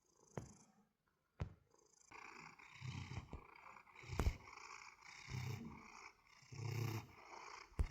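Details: Domestic cat purring in low, rumbling bursts spaced about a second apart over a steady hiss, with sharp clicks and brief thumps in between.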